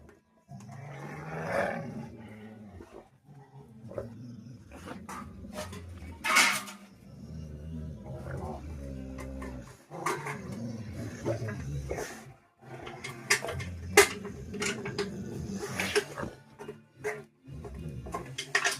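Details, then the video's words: Two Rottweilers in a fight growl low and rumbling in long stretches, mixed with snaps and yelps, while people call out and scold in Bengali throughout. "donon mein ladai #rottweiler #fighting"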